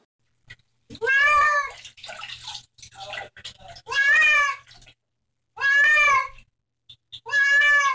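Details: Pet cat refusing to be bathed gives loud, bending, strained meows, four in eight seconds at uneven gaps, with quieter mumbling and rustling between them in a small room.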